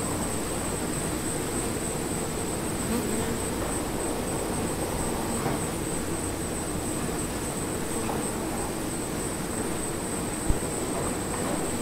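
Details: Honeybees inside an observation hive, a steady, dense droning hum of many insects with no breaks, weighted toward low tones, plus a constant thin high whine and a sharp knock near the end.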